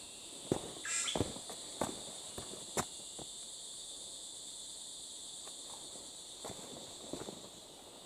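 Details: Cicadas, hidden from view, drone without pause during a descent of Mount Kinabalu; an even, high, hissing buzz underlies scattered footsteps, with a brief whistled note near the start.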